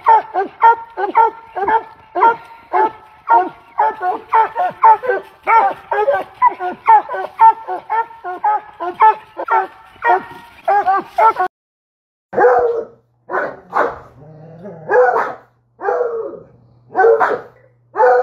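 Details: Treeing Walker Coonhound, a pet dog of the hound breed used for treeing raccoons, barking in a fast even run of short hoarse barks. After a brief silence, slower, more spaced barks and yips follow.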